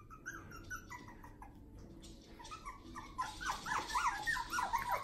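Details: Litter of one-month-old puppies in their new play area: sparse thin whines at first, then a louder cluster of overlapping squeaky, wavering whimpers in the final two seconds.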